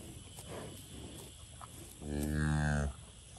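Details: Limousin and Angus cattle in a pasture; a single low, harmonic-rich moo lasting under a second, steady in pitch, over a background of faint wind and rustling.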